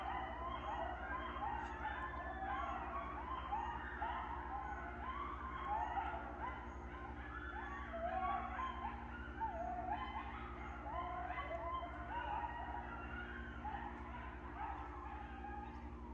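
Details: Coyotes passing through farmland near goats and ducks in the early morning howl together in wavering, overlapping cries mixed with sharp yips.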